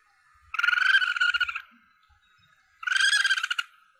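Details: A young Asian palm civet gives harsh, strained squeals, each about a second long, repeated after a pause; hunters use this recording as a lure call to draw in the target animal.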